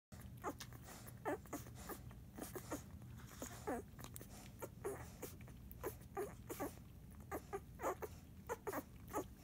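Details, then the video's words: Nine-day-old Airedale Terrier puppies, Jazz and Monarch, grunting while feeding, as they do at every feed; short soft grunts and squeaks come in quick irregular bursts over a low steady indoor hum. "Eclipse Airedale Puppies, 9 days old. Grunting while feeding"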